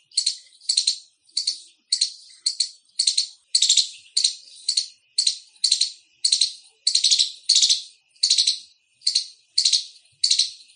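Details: A squirrel, tagged as an Indian palm squirrel, gives loud, high, sharp chirps in a rapid, uneven series, almost two per second.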